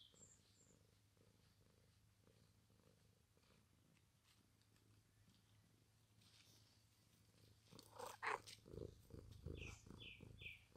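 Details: Domestic cat purring: a low, steady, soft rumble holds for about eight seconds, then louder rustling and handling noise take over, with a few brief high chirps near the end.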